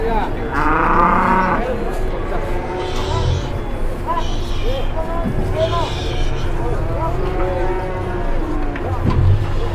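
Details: Large cattle in Indonesia being loaded onto a truck with difficulty, drawing onlookers: deep, drawn-out lowing moos under constant crowd chatter and shouting, with a heavy low rumble throughout.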